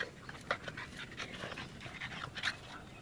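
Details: Rapid breathy panting from a bulldog-type dog, short airy bursts about three or four per second, one slightly squeaky whine near the middle.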